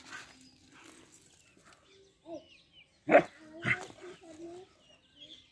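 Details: Four-month-old double-coated German Shepherd puppy giving two sharp, loud barks close together midway, with short whining tones around them, faint bird chirps in the background.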